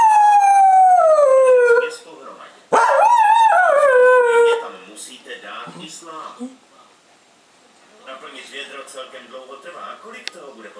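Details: Female pet Cocker Spaniel howling: two long tonal howls, the first sliding smoothly downward, the second wavering then falling, followed by quieter mixed household sounds and faint voices.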